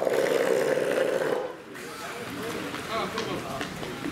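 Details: A Steller sea lion at Marinpia Nihonkai aquarium opens with a sustained, hoarse, deep roar rich in low tones, then breaks into shorter, uneven growls and grunts, with faint background voices.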